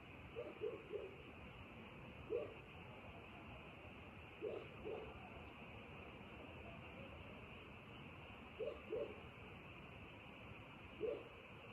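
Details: Nighttime frogs give short, low croaks in clusters of two or three, spaced a few seconds apart, while a continuous high-pitched drone runs underneath.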